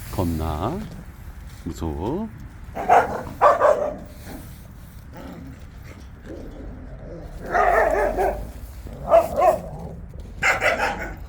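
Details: Jindo dogs on a walk: rising and falling whines open the sequence, followed by loud barks in pairs and short volleys, with people talking in the background.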